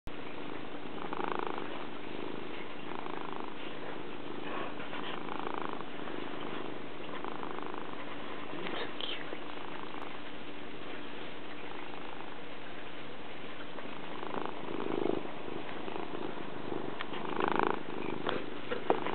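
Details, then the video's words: A domestic cat purring close to the microphone, a continuous low rumble that swells and eases in rhythmic cycles roughly every two seconds, with faint rustling. "killer purring"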